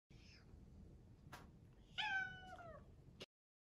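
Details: A rescued, adopted British Shorthair cat gives a clear, harmonic meow that slides downward, asking for its breakfast in the morning.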